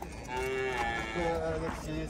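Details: A young bull at a market gives a short, tonal moo with wavering harmonics over crowd noise and speech.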